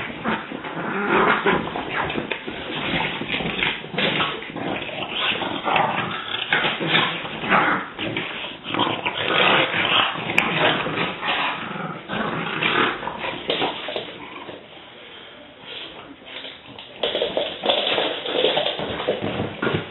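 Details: French Bulldogs in a rough play session growl and snort almost without pause, with one dog finding it all a bit too much, as usual.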